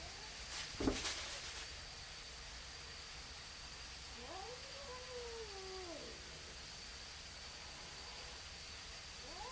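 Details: Neighborhood cats confronting each other before a fight; a sharp knock or bump opens, then a rising yowl and a long descending wail, another call starting at the end, over steady hiss.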